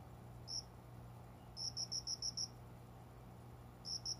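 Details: Single sharp chirp, then a burst of six rapid ringing pulses and a final pair, from a cricket calling indoors among windowside greenery around five in the morning in summer; faint low background hum.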